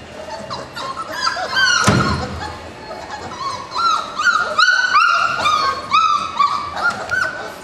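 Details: Several 4-week-old puppies, littermates born March 7, 2010, whining in rising, slurred high cries repeated about twice a second after a loud bump, in a small indoor space.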